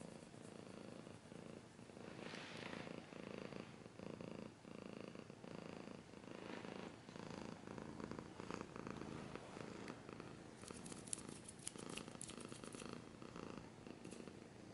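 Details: Long run of cat purring, low and pulsing in even cycles, with a brief rustle early on and a spell of crisp scratching sounds toward the end.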